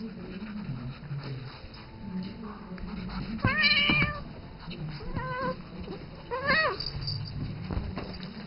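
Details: Isis, a domestic cat aged seven, calls to Rambo, the three-month-old ferret she treats as her kitten; three loud, sharply pitched meows in quick succession, each with bright harmonics, over a low background hum and soft scuffling.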